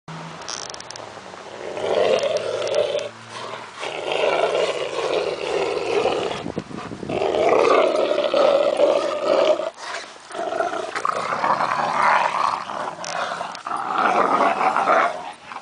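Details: Two purebred Rottweilers, one male and one female, playing together; the female makes loud monster-like roaring growls, rough and sustained, rising and falling in bursts with brief pauses between them.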